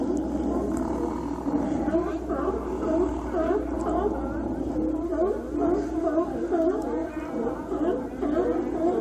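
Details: Many sea lions calling at Cowichan Bay, Vancouver Island, in autumn while following the migrating salmon. Continuous overlapping hoarse barks and groans from a crowded group, some rising and falling, over a steady low hum.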